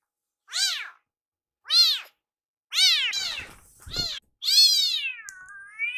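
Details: Rescued baby kitten indoors, calling loudly for its meal while its caretaker prepares food in the kitchen: five high, arched meows about a second apart. The last is long and wavering. There is a brief thump between calls.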